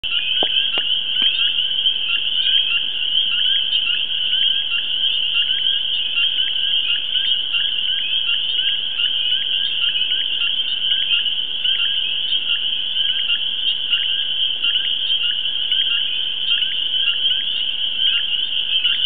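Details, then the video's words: Frog pond in the suburbs of New York City: a dense chorus of high, shrill trilling calls blending into one unbroken, pulsing wall of sound. "NY frog chorus"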